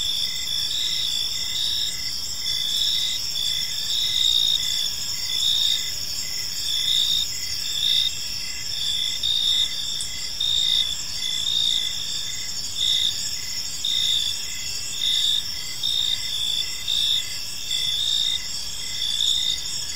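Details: Crickets chirping in a park on an evening, a dense chorus of high, pulsing trills layered in several bands, steady throughout with gentle rhythmic swells and faint low background noise.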